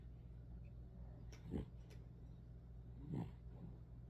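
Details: Little sleeping poodle snores softly, two faint low breathy snores about one and a half seconds apart over a steady background hum.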